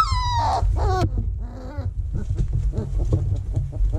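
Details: Vizsla puppies in their whelping box in early October 2020, while the box is cleaned and vacuumed; high, falling whines come in quick bursts during the first second, then softer squeaks over a steady low rumble and rustling.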